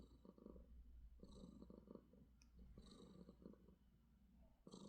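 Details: Pet cat giving a morning purr out of affection, low vibrating rumble in breath-length pulses about every one and a half seconds, softer and rougher than usual, quiet indoor background.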